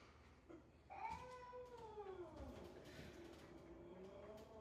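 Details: Domestic cat sound played to house cats: one long wavering yowl that begins abruptly, falls in pitch, then undulates gently while trailing off, over a low room hum.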